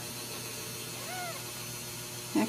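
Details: Ragdoll kitten alone in a corner as its mother approaches, at a home cattery in central Kansas; a single brief arched meow, then a short soft knock, with quiet room hum.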